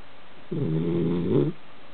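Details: A Basenji named Kona, sleeping on a couch, gives a single low, rumbling snore about a second long with a buzzy, rattling texture; faint room hush underneath.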